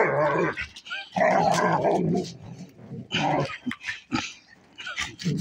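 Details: German Shepherds play fighting, an adult female and a 9-month-old puppy: rough, rumbling growls in bursts with short snarls and yaps, broken by brief pauses.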